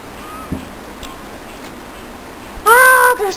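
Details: Domestic cats, several kittens present, indoors with people talking; near the end one loud, drawn-out harmonic meow lasting about half a second, followed by a short second cry, after quiet background chatter.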